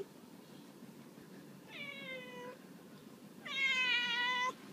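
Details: Lucifer the cat, going mad for new cat treats from the UK, gives two harmonic meows indoors, a shorter softer one falling slightly, then a louder, longer, steady meow about a second long, in a quiet room.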